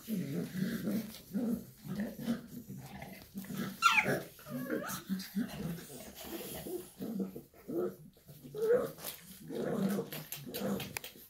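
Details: Shar Pei mom and her puppies: steady low grumbling growls pulsing throughout, broken by one sharp high squeal near four seconds and a faint whine later, with quiet voices in the background.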